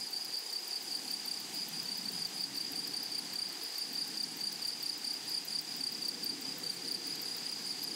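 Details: Grasshoppers in a flowery meadow: a steady, high shrill buzz with a fast pulsing ticking on top, running unbroken throughout, over a soft low rumble.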